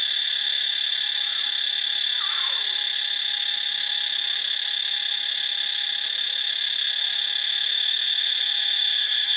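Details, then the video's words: A steady, shrill cicada drone recorded in Ubon Ratchathani, Thailand. It stays loud and high-pitched throughout, with a few faint lower sounds briefly heard behind it. "เสียงจักจั่น (Cicadidae)"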